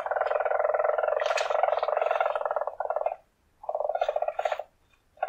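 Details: Weasel's long, rough rolling trill lasting about three seconds, broken off and then resumed in a second burst, the sound dense and buzzy with sharper squeaky accents on top.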